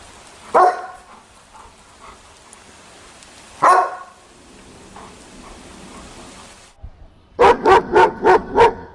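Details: Angry German Shepherd puppy: two separate barks a few seconds apart, a quiet pause, then a rapid run of five loud barks in quick succession.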